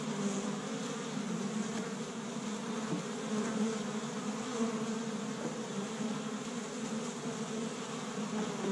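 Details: Established Michigan honey bee hive bustling on the first warm spring day, workers collecting tree-bud pollen; thick, droning hum of many bees with faint fly-by whines layered over the constant low buzz.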